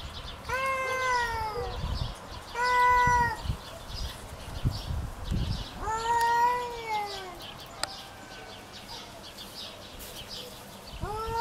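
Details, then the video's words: Pet cat Kitty in a fight over territory, making moaning yowls that bend downward at the end, spaced several seconds apart, with scuffling and low rustling noises between calls. "My Cat Kitty Fights over territory | Real Sound"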